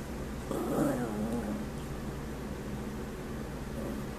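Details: Low, grumbling moan of about a second from Sammy, a male Chihuahua, making funny noises, followed by quiet, with a humming fan and rain in the background.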